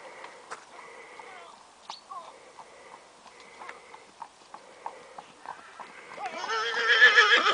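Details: Clydesdale trotting up a steep hill. Irregular clip-clop hoof strikes at about three or four per second over a faint background, ending in a loud, wavering, strongly harmonic cry in the last second.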